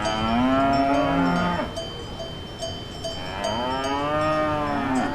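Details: Two long, wavering cow moos on a farm. A ringing cowbell clinks and chimes steadily throughout, holding a clear high tone.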